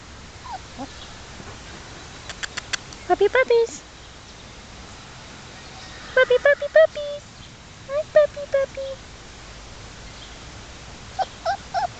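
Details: Three-and-a-half-week-old black German Shepherd pups, Czech import work lines, out in a new outdoor setting in New York, giving scattered bursts of thin rising whimpers between quiet gaps, with a woman cooing to them.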